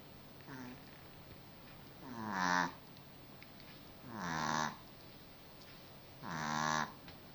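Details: Cookie, a pet dog, snoring while asleep: three loud, rasping breaths with buzzy harmonic layers, each swelling and fading, spaced about two seconds apart, after one faint earlier snore; quiet indoor background.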